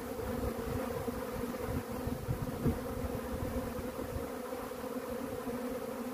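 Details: Honey bee swarm: a dense, steady low hum of many wings with a strong droning band and its overtones, continuous and unbroken, with faint rustling underneath.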